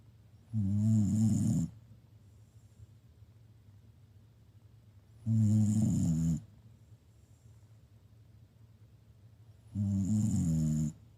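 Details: Shiba Inu dog snoring loudly: three long, rough, throaty snores about four to five seconds apart, each lasting roughly a second, with a low rumbling buzz and quiet breathing between them.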